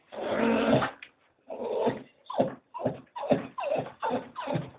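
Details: Staffordshire Bull Terrier waiting to go for a walk, with a Doberman joining in; seven grumbling, moaning bursts, the first long and drawn out, the rest shorter and rising then falling, separated by brief pauses.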